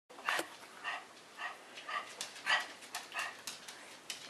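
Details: Georgie, a seven-year-old three-legged male Shih Tzu in rescue foster care in Northern Indiana, playing: soft, muffled yaps and whines repeated about every half second, fairly quiet, with a louder sharp sound at the end.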